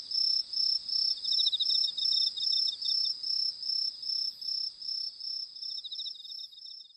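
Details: Crickets chirping at night in the dark while fireflies fly: steady pulsed bursts of a high trilling note repeated a few times each second.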